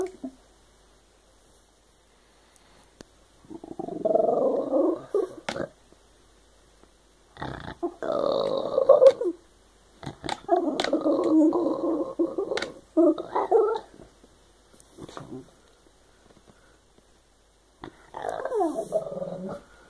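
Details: Shiba Inu dog "talking" with funny noises: a series of separate grumbling, growly vocal bursts, each one to two seconds long, with pauses between them and a final rising-falling whiny yowl, plus occasional clicks.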